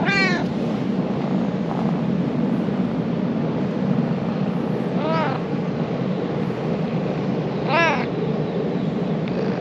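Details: Affectionate stray ginger cat in Japan, just woken up, giving three arched, wavering meows spaced a few seconds apart over a constant low rumble of traffic.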